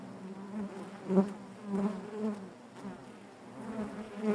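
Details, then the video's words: Honey bees buzzing inside their hive: a steady low hum with layered harmonic bands, swelling in brief louder surges as individual bees pass close by, about every second or two. "bees therapy hive natural buzzing sound"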